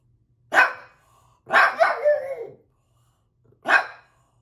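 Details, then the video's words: Bowser, a pug, barking at puppies playing on the television indoors: three short sharp barks, the middle one longer and trailing into a whining, wavering tone, with quiet pauses between. "Pug Bowser Barking"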